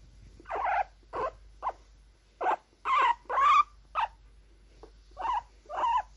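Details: Happy, excited guinea pigs squeak in loud, separate bursts about twice per second, each note short and rough, some rising slightly in pitch, with brief pauses between groups.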